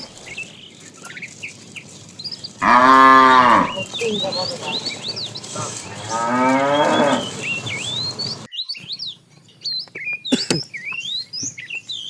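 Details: Herd of tame cows wandering far while looking for food; two loud, drawn-out moos in quick succession early on, then bird chirps and brief clatter.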